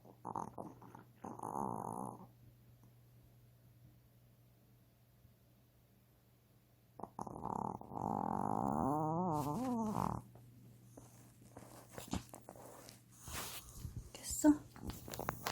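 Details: Sleeping male Yorkshire Terrier born December 2011 gives a singing snore indoors: short moaning tones, a pause, then a long wavering whine that bends up and down for three seconds, followed by rustling and a woman's voice.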